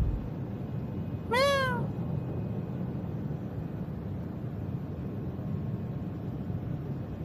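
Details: Cat at night in a park with one clear, brief meow, rising then falling, richly harmonic, against a constant low rumble of distant traffic.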